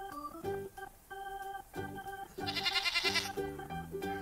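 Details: A single wavering goat bleat rises out of organ-heavy children's music near the middle, lasting under a second, while the repetitive melodic backing carries on before and after.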